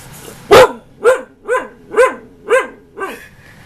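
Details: Ankita, a female husky almost one year old, keeps arguing after being told 'enough': one loud yelp followed by five arched, woo-like barks repeated roughly every half second, gradually softening.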